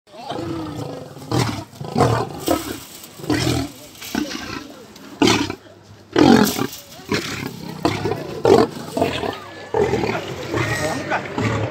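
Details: Lion at Nairobi National Park, described as hungry and attacking a guard: harsh, rumbling roars and growls in repeated bursts about a second apart, separated by short quieter gaps, with a faint overlay of voices.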